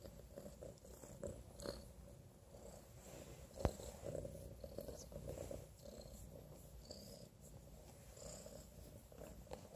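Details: Gritty, a young male Domestic Shorthair kitten who lost one eye to an infection, playful and affectionate and up for adoption, purring softly and steadily in a low rumble indoors, with faint rustling and one sharp click.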